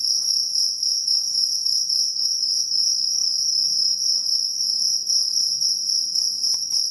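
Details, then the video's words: Continuous shrill chirping of a kalung cricket, a kept singing cricket, a steady high tone with a fainter harmonic above, broken into fast pulses at roughly 222 a minute, with a few soft low knocks in the background. "KRIK KRIK Suara jangkrik kalung yg viral"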